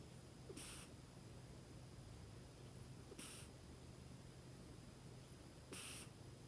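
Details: Female Scottish Fold cat snoring while asleep and relaxed on her owner's lap, three soft breathy hissing snores at roughly two-and-a-half-second intervals over a quiet, steady low hum.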